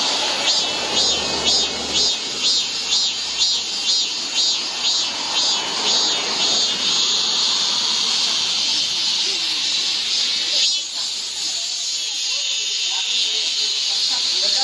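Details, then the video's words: Midsummer cicada chorus in a Guro-gu park, Seoul: a sizzling high drone that throbs in regular beats about twice per second, then smooths into a continuous buzzing wash, with faint low rumble beneath. "한여름 무더위를 식히는 시원한 청량제와 같은 매미 소리"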